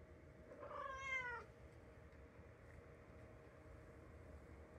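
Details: Three-year-old calico cat Mimi, once standoffish and still not letting herself be touched, utters a single short bright meow near the start, followed by steady room hum and no other voice.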